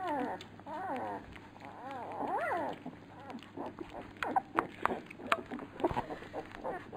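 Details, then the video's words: Labrador Retriever puppies during feeding: arched, rising-then-falling whines in the first half, then mostly sharp clicks and smacking sounds with fewer cries. "Fütterung bei den Labrador Piranha Welpen"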